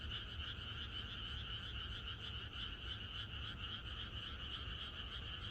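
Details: A chorus of many frogs croaking together on a countryside night before rain, a dense, continuous pulsing din of overlapping calls with bright bands high and mid in pitch, steady throughout, over a low rumbling background.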